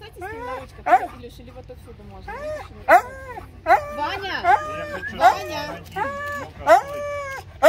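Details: Young male Siberian Husky in a mountain kennel in Russia, among 51 huskies and puppies, giving short, bent, whining yodels repeated roughly every second, mixed with a woman's cheerful speech.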